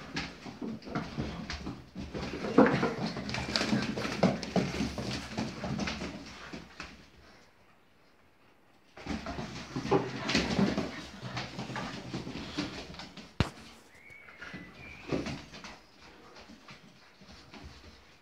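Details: Boxers from the Henkersteg kennel romping indoors in a small room: dense bursts of scuffling, thumping paws and rough low growl-like play noises for about seven seconds, a quiet pause, then renewed scuffling and grumbling with sharp knocks.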